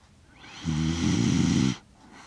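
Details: Asleep in Rotterdam on 30 September 2025, six-year-old Shiba Inu Kaki-Maru gives a steady, deep rattling snore of about a second, captured close with a DJI Mic Mini amid quiet room tone.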